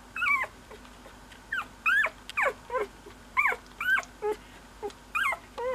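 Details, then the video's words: Cocker Spaniel puppy giving high, thin squeaks and whines in short rising-and-falling bursts, about eleven within six seconds, separated by brief quiet gaps. "Squeaky Cocker Baby"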